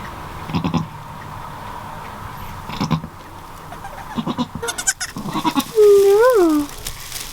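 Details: Newborn goat kids with their mother on a farm. A loud, clear, nasal bleat rises and then falls near the end. Earlier there are scattered knocks and rustling in a constant background hum.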